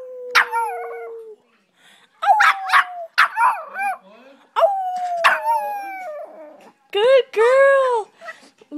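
A Boston Terrier howls in drawn-out, wavering tones while a woman praises her softly.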